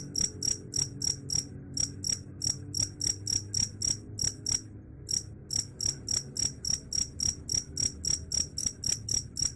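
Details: Chirping cricket, claimed to repel rats: sharp, ringing high chirps in quick succession, around three to four each second, with one short pause midway and soft low noise beneath.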